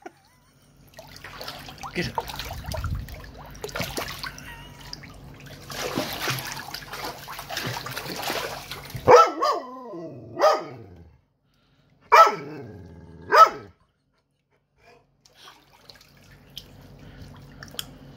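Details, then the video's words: Pet dog Turbo distressed over his drowned toy: trickling water and murmur first, then four sharp, pitch-sliding whining barks spaced about a second apart, followed by quiet water sounds. "Turbo freaking out when his toy drowned"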